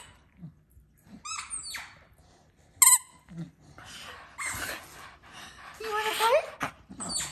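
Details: Two Staffordshire Bull Terriers in Alaska, a talkative 10.5-year-old female and a 12-year-old male, give high, squeaky whines while begging for their ball, which was stuck behind the couch.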